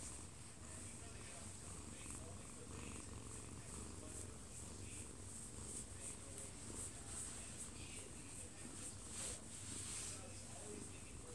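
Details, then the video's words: Odd-eyed Munchkin cat aged one year two months, dozing in a man's arms at home and filmed up close, purrs in a steady low rumble throughout, with a television audible in the living room. "아빠 품에서 자는 꼬부기 골골이 - 1살+2개월 오드아이 먼치킨 고양이"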